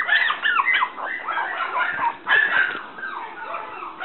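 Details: Black female toy poodle puppy aged 57 days, born at a breeder in Shiga, Japan, giving continuous overlapping high whines and squeaks with a couple of louder bursts, the notes sliding and wavering without pause.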